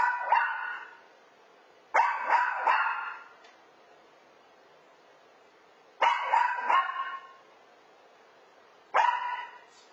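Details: Two-year-old rescued toy poodle named Chazz barking alone at home once his owners have left for work, clusters of two or three sharp barks repeating every few seconds in a quiet room.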